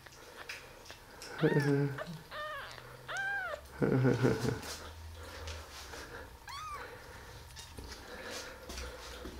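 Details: Five 11-day-old baby kittens, just opening their eyes for the first time, give high, arched mews that rise and fall, four separate calls spread over nine seconds, with a louder low, rough burst in between and quiet background noise.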